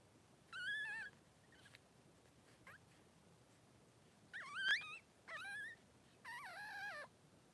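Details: Three-day-old Blenheim Cavalier King Charles Spaniel puppies, two newborn males in Pom-Pom's whelping pen, give high wavering squeals and whimpers in several bursts of about half a second, with quiet gaps between them.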